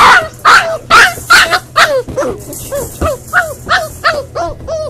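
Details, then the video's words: Upset Boxer puppy in a crate during crate training, left alone: loud, harsh yelps in quick succession, easing into higher, thinner whimpers that dip and rise, roughly two cries per second. "Hugo Boxer Puppy in his Crate crying"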